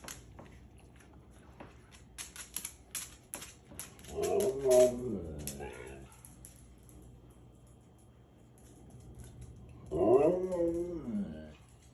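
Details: Pet dog indoors with its family during a treat and obedience session, persistently vocalizing: two drawn-out, wavering, whiny calls with rich overtones, one mid-clip and one near the end, between sharp clicks and light tapping.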